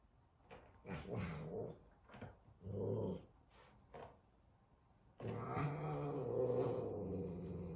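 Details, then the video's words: Frightened F2 Savannah cat facing a little kitten at their first meeting: several sharp breathy hisses and spits in quick succession, then a long low rumbling growl for the final two and a half seconds indoors. "F2 Savannah Cat Frightened of Little Kitten"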